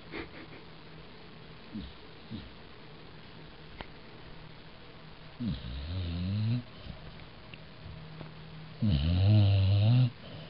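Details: Pet dog named Brooklyn sleeping indoors after a four-mile walk, snoring in low rasping breaths; two long loud snores near the middle and end, fainter snuffles before them, steady low hum throughout.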